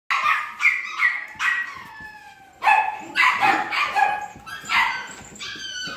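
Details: Several imported poodle puppies give high, overlapping yelps and whiny yips in quick uneven bursts, some notes sliding downward, with brief pauses between clusters.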